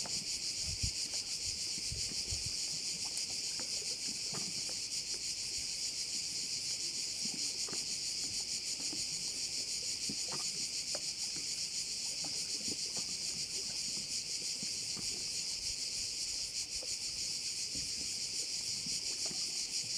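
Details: Many crickets sing by a bay in Korčula, Croatia. A steady, high, rasping wall of sound with rapid pulses holds without pause, with a few faint low knocks beneath.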